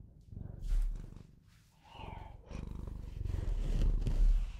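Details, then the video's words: Bengal cat, a pet, purring: a low, steady rumbling buzz in fast pulses, swelling and fading in loudness, with some softer higher rustles and breathy noises over it. "Bengal Cat Purrs On Video And Makes The Best Sounds To Put You To Sleep"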